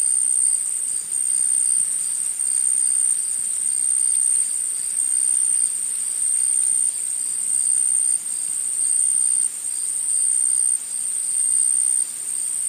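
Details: In a forest, a steady, shrill insect chorus of high, buzzing trills runs without pause through the whole recording.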